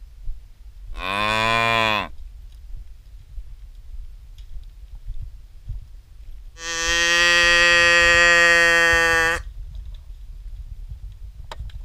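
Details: Herd of cattle on the way out to pasture, giving two moos: a short, rising-and-falling low call, then a longer, even, drawn-out bellow several seconds later, with faint background rumble between.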